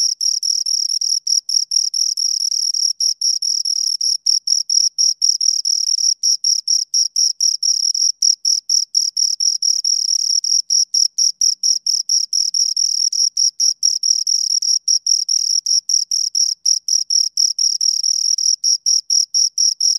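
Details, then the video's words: Two crickets trill almost without pause, dense high-pitched chirps running together with brief breaks, a shrill ringing tone and a faint higher overtone, nothing else heard. "Two Crickets Chirp Sounds"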